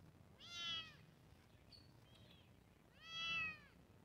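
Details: Kittens meowing: two loud high arched mews about two and a half seconds apart, with a fainter brief squeak between them.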